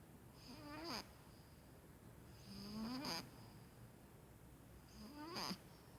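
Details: Sleeping pet Maine Coon cat snoring. Three wheezy breaths come roughly every two and a half seconds. Each is a whistled tone that climbs and ends in a short snorting rasp, over faint room hiss.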